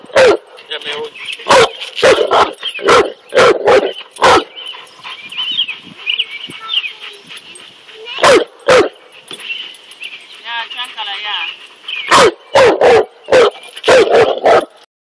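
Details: Cane Corso facing a king cobra, letting out heavy booming barks in quick runs, then a lull of several seconds with faint voices and whines before another burst of rapid barking.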